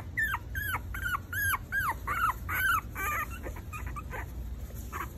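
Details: Four-week-old Maltese puppies whining: high, thin cries that rise and then fall, about two to three per second, crowded at first and then fading into softer, scattered yelps.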